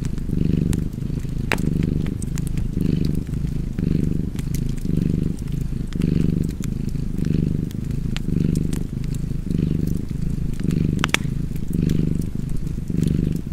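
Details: Cozy purring cat by a crackling fire. Deep, throaty vibration pulses in even waves, roughly one inhale-exhale cycle per second, while bright wood pops and snaps break in now and then.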